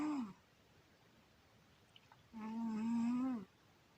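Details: Cat Syoma asleep and snoring indoors; the tail of one snore, a pause with faint clicks, then a full droning snore lasting over a second, pitch holding level with a slight wobble.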